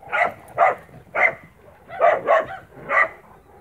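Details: Spanish Mastiff on a farm, 1 October 2017, giving six loud, resonant barks in quick succession, roughly one every half second, with a short gap midway.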